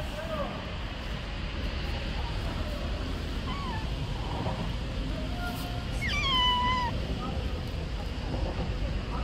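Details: Stray street cat sheltering under trees from rain, giving one drawn-out, wavering meow midway, with a few fainter short mews earlier, over steady low rumbling background noise and possible distant voices.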